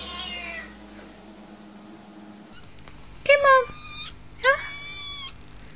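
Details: Kittens meowing indoors: after a quiet stretch with faint talk, two loud high harmonic mews, each about a second long, with a rising then falling pitch.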